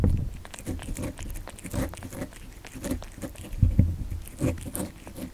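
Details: Kitten eating cat candy, close indoor ASMR recording: sharp crunching bites and quick chewing clicks in a rapid irregular run, with a couple of louder crunches near the end and a low background hum.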